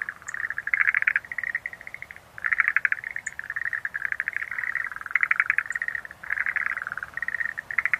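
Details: Rapid pulsed rattles from several Schlegel's green tree frogs, nearly continuous trilled croaking in overlapping bursts, a brief lull near two seconds, plus sparse faint high clicks.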